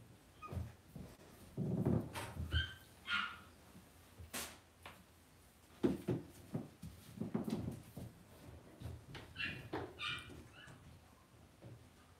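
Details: Cavalier King Charles Spaniel puppies in an indoor home puppy pen. High, thin whimpering yips come in short harmonic bursts, in two clusters, amid thumps and knocks of movement and handling.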